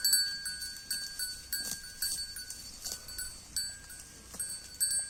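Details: Grazing Holstein Friesian cow, grass-eating sounds: sharp ripping bites roughly every half second to second, over constant thin high whining tones.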